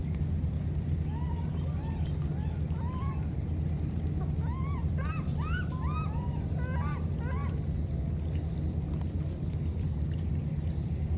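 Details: Baby monkeys parted by floodwater calling each other, with a cluster of rapid rising-then-falling squeals packed into a few seconds mid-recording, set against a loud, constant low roar.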